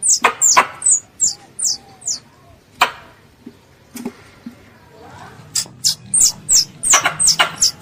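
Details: High, slurred chirps from a pest squirrel calling its mother come in bursts, pause briefly with faint clicks, then resume in a fast, uneven series.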